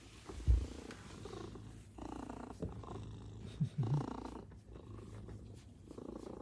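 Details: Pet Maine Coon cats at home greet their returning owner at the entrance with a deep, continuous rumbling purr, swelling and fading in waves, broken by a brief bump early on and a short soft vocal sound midway.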